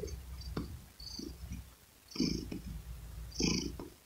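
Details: Domestic cat purr recorded up close, with low rumbling bursts that grow stronger toward the end, each breath marked by a breathy rasp, over a continuous deep hum.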